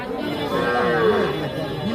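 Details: Calves at the Ambari cattle market on 28/3/25: one drawn-out, mid-pitched moo that swells and bends downward over about two seconds, with faint market murmur and a thin tonal hum behind it.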